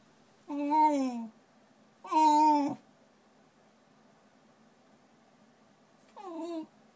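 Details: Ponta, a Shiba Inu indoors, freaking out at a Shiba-shaped notepad: three drawn-out tonal whining yowls, each falling slightly in pitch, the first two close together, the third after a long quiet gap.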